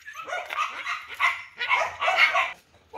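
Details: A big-bellied dog on the way home yaps in a string of hoarse, overlapping barks, five or six bursts, before a short pause.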